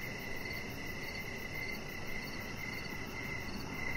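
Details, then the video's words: Short stretch of evening crickets near a deck: clear high pulsed chirps repeated at a steady pace, a fainter higher chirp layer, and continuous low background noise. "Cricket Sounds"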